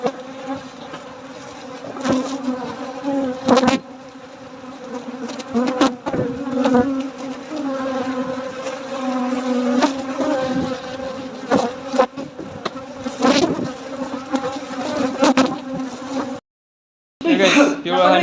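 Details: Honey bees at a nighttime honey harvest give a sustained low drone with overtones, rising and falling in loudness, scattered with knocks and clatters; sound cuts out briefly near sixteen seconds before the buzzing returns.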